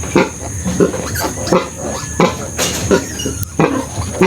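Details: Sow with her surviving piglets after farrowing, seven of twelve having died; short grunting calls repeat irregularly, roughly once a second, with a steady high hum in the background.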